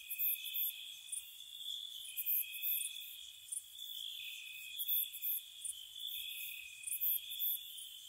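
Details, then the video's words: Night-time crickets in spring near a cottage, a constant high trill overlaid by loud pulsed chirps in clusters about every second or two, several insects calling together. "Spring Cottage Night Ambience, Nature Sounds for Relaxation & Sleep, Cricket Sounds"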